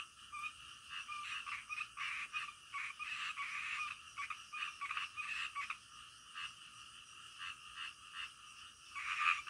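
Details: Nocturnal frogs produce bursts of harsh, grating croaks in irregular clusters, separated by brief lulls, with a faint constant hiss beneath and a louder caller near the end.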